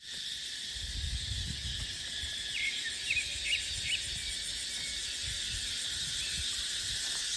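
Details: Cicadas in a dry dipterocarp forest in the dry season: a dense, unbroken high shimmering buzz with a fine pulsing texture, a few brief chirps over it, and low wind rumbling underneath.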